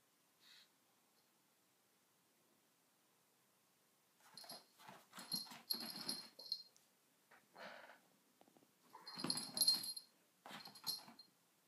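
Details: Sona, a pet dog, indoors with a cushion, gives raspy wheezing bursts with a thin whining tone on top, in clustered runs of breathy snorts and squeaks over about seven seconds after a quiet start.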